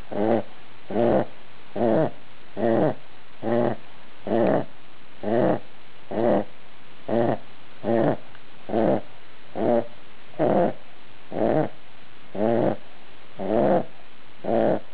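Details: Sleeping dog snoring: harsh, throaty rasping bursts repeated steadily about once a second, each breath short and evenly spaced, with no other sounds.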